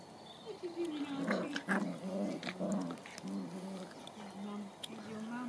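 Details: Dandie Dinmont Terrier puppies, nine weeks old, playing in a garden with their mother and grandmother; low play growls and grumbles, repeated in short bursts, mixed with whines and scuffling.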